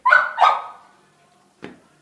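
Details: American Bully named Morgan, eating chicharrón: two short, loud, rough barks in quick succession, then silence and a single brief tap near the end.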